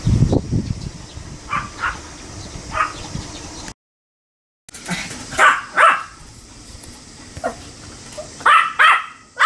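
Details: Sam, a Pomeranian, recorded 25 July 2015 while sporting a beer-foam moustache, yaps in short high barks grouped in small clusters, broken by a brief total silence, with a low thump at the start and a faint steady hum.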